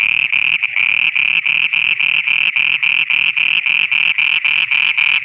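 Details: Frogs at night in Pakistan give a loud, rhythmic pulsed chorus, bright high notes repeated roughly four times per second with little pause, low croaks faintly underneath.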